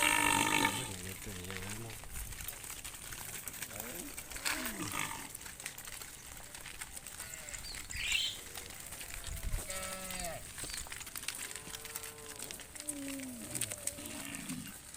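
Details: Tame cattle give low, drawn-out moos at sunset as a herder calls and leads the herd back to the farm pen, with people talking and calling nearby.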